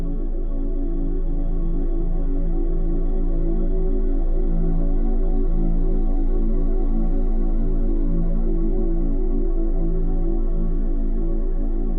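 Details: Loud, calm ambient keyboard music with a deep, steady pulse fills the whole stretch, and no animal voice can be heard.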